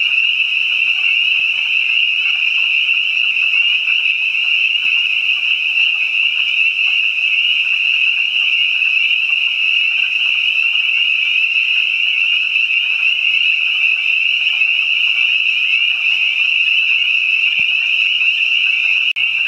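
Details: Spring chorus of spring peepers with other frogs behind a house, an unbroken mass of piercing high peeps overlapping so thickly they merge into one constant shimmering trill, steady in loudness throughout.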